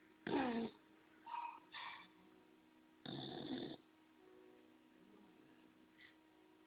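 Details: Sleeping bulldog Homer snoring, giving short, raspy, broadband snorts near the start and a longer grating snore around three seconds in, with soft faint sounds between them in a quiet room.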